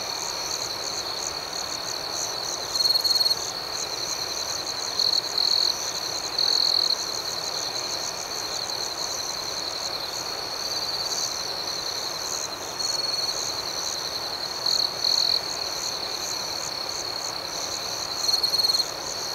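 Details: Nighttime cricket chorus outdoors, a continuous high shimmering hum with short, brighter trilled bursts popping out every few seconds.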